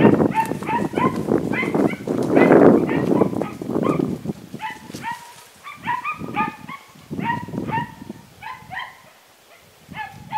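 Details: Podenco Andaluz dogs recorded 3 December 2011, giving rapid high yelping barks in quick irregular bursts throughout, with a human voice talking underneath in the first half.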